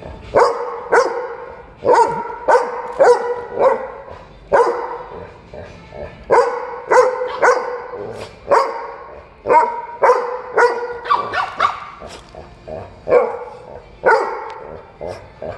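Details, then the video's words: Dog in a dog cafe barking loudly and insistently, seemingly asking to play; sharp barks with strong harmonics come in quick bursts of two to four, roughly two per second, separated by short pauses. "우렁차게 짖는 크림이"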